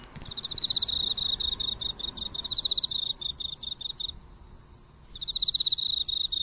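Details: Emma field cricket singing close up under the lights of a local drugstore: quick runs of bright, pulsed chirps, several per phrase, with short pauses, over a constant high-pitched background tone.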